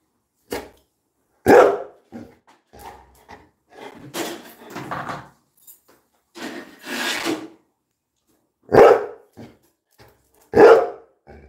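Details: A Labrador Retriever gives loud, sharp, broadband barks, one early and two near the end, spaced a couple of seconds apart, with softer scattered sounds and brief quieter noises in between.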